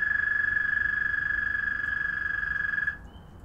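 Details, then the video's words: Frogs calling to one another at night: a high, evenly pulsed trill sounds steadily for about three seconds, then cuts off abruptly, leaving a faint, thin tone and quiet background. "Frog Trilling"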